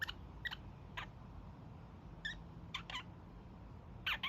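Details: Pet young male kakariki in his evening honking session, giving brief, spaced, raspy notes over a steady background hum.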